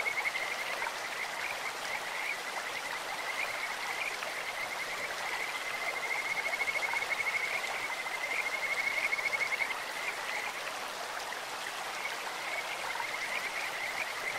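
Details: Kajika frogs sing from a clear-flowing stream, a high, bird-like trill held for several seconds before fading, with shorter trills around it and rushing water throughout.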